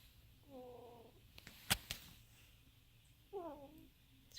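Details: Sleeping pet ferrets curled together in a pouch snoring: two squeaky, whistled, wavering snores about three seconds apart, with faint clicks and rustling between them.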